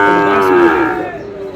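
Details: A single loud, drawn-out moo from a Sahiwal bull calf at Ambari market, Dinajpur, on 11 May as trading begins. It is rich in harmonics and sags slightly in pitch before fading, with faint voices behind.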